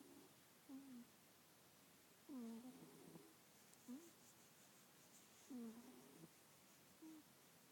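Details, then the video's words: A congested domestic cat asleep and snoring, producing several short, squeaky, whistled nasal notes at irregular intervals, some dipping and rising in pitch, against quiet background hiss. "Sleepy kitty, snoring kitty"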